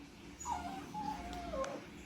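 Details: Quiet, thin whining from a poodle restless over someone's meal: a long wavering tone that dips and flattens before trailing off, over faint room noise.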